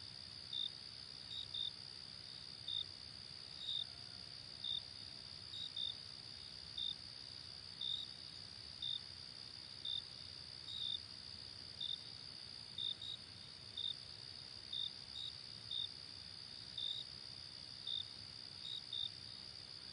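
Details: Cricket chorus as calming natural ambience, a continuous high-pitched trill overlaid by brief sharp chirps, about one per second, sometimes doubled, against soft low rumble.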